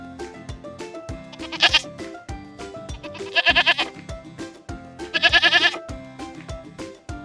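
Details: Goat (Capra hircus), bleat.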